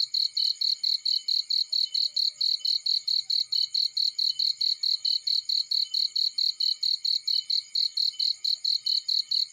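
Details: Field cricket sound by a warm fireplace: bright, high-pitched chirps pulsing rapidly and regularly, about forty in under ten seconds, against an otherwise quiet background.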